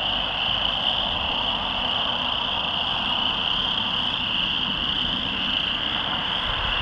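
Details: Many loud chorus frogs calling from a rain pond on Brewery Hill near the Oldman River, Lethbridge, on June 22, 2013; a dense, unbroken high trilling chorus holds steady throughout, over a faint low rumble of passing traffic.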